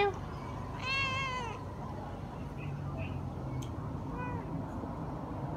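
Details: Cat uttering one clear, drawn-out meow with strong harmonics that rises slightly and falls away, followed a few seconds later by a fainter short meow, against constant low rumbling background noise.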